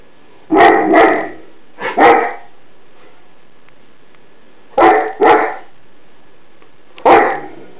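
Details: Greater Swiss Mountain Dog named Mouse alarm barking indoors at an iron left on the bed; deep, loud barks in pairs and singles, separated by quiet pauses of a couple of seconds.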